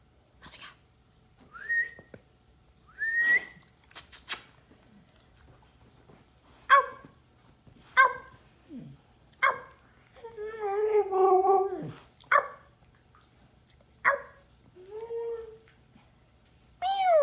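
A Siberian Husky answers a person's imitated animal noises with wavering, talkative woo-woo sounds and yelps.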